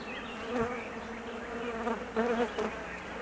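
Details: Honey bee colony, nervous and anxious while its queen is away on a 45-minute mating flight; a steady droning hum with a low buzzing tone and its overtone, swelling in brief louder bursts near the middle and end.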